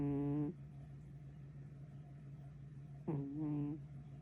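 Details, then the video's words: Kitten asleep, giving two short snoring breaths of about half a second each with a buzzy, harmonic tone, separated by a pause of roughly three seconds, over a steady low hum. "어린노무껭이가?! 이래서 같이 못잔다"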